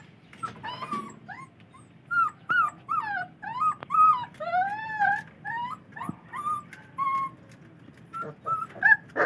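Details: Four-week-old Belgian Malinois puppies whimper while eating wet dog food for the first time. Thin, high, arching whines rise and fall and overlap, coming in quick bursts roughly every half second. Soft room noise sits underneath.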